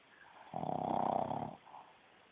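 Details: A single loud, rough snore lasting about one second from a sleeping female Boston Terrier with a small snout, rising then fading in a quiet room.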